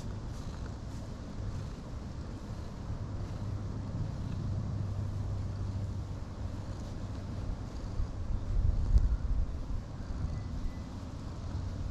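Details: Low, steady outdoor rumble of passing traffic and wind on the microphone, with no animal calls standing out.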